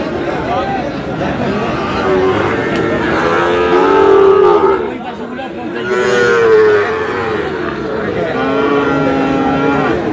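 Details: Sahiwal bull calves at a Bangladeshi livestock market, Aftabganj in Dinajpur, as trading opens on 25 July: three or four sustained moos, a few seconds apart, rising and sagging in pitch, with market chatter throughout.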